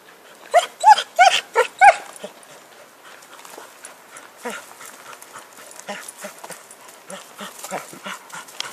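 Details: Happy the dog, with a stick, in 2012: five sharp, high barks in quick succession open the recording, then softer scattered yelps and whines trail off at lower volume.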